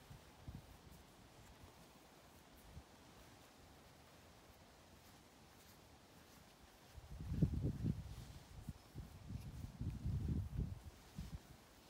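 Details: Domestic cat Ovenmitt lounging on a garden table on a farm in County Kilkenny, Ireland, on International Cat Day, kneading with his paws in pleasure; after a quiet stretch, two deep, low rumbling purr bouts swell and fade.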